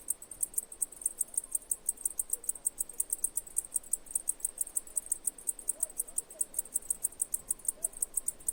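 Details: Steady high chirps from a cicada, evenly spaced at about five per second throughout, with only soft low background noise beneath.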